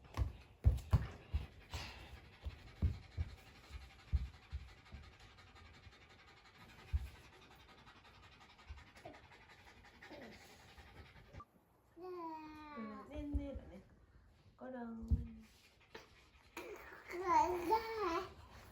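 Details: Shiba Inu Ringoro, born January 2018, worked up indoors after a dog run or long walk, pants rapidly and steadily, about 220 breaths a minute, for ten seconds. High child's voice follows near the end.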